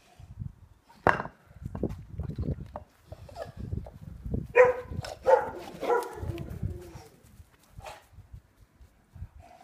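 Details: Neapolitan Mastiff training with wooden dumbbells; a few deep, harmonic bark-like bursts around the middle, mixed with clattering knocks and shuffling noises throughout.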